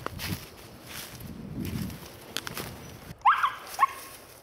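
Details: A four-month-old female Siberian Husky, born in Sweden, out deer hunting. After about three seconds of quiet outdoor rustling, two short, rising, yelping barks come half a second apart.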